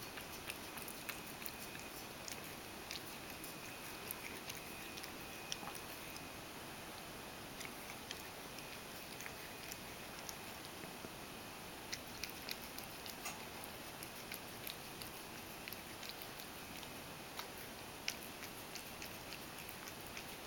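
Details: Ragdoll cat Mojio drinking milk at mealtime, spilling a fair amount. A long stretch of faint, sharp clicking laps patters on steadily at an irregular pace against a soft, steady indoor background.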